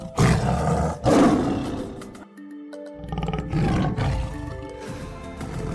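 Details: Tiger roars set against background music: two loud, rough, low bursts in the first seconds, then a gap and further growling rumbles under steady musical tones.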